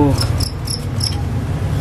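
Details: Wild crickets, described as big and healthy, bought to serve as song tutors for birds. They give short high chirps in brief bursts about every quarter second over a steady low hum.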